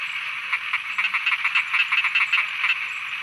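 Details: Thai frogs croaking at night, with a quick series of clipped, pulsed croaks, roughly two or three per second, layered over a steady shrill background chorus.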